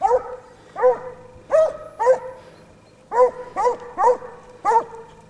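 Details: Several Basset Hounds of a French breeding line trailing scent: deep, ringing, harmonic bays given in a steady series, about eight drawn-out calls spaced roughly half a second to a second apart, with a short pause midway.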